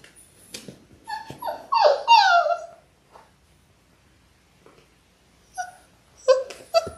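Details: Six-week-old Labrador Retriever puppies, a litter of six born January 18, 2022, on a live puppy cam: short falling whimpers and yips in a brief cluster, then quiet, then a few more whines near the end.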